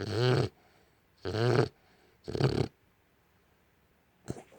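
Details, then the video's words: An American Bully dog snores loudly while napping on a couch indoors. Three rough, low, buzzing snores come about once a second, each lasting under half a second. A short faint snuffle follows near the end in a quiet room. "My American Bully snoring"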